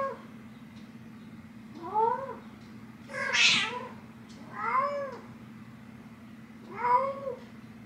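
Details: Nyx, a female cat, meowing to wake her owner: four rising-then-falling meows spaced about one and a half to two seconds apart, the third brighter and higher, over a steady low indoor hum.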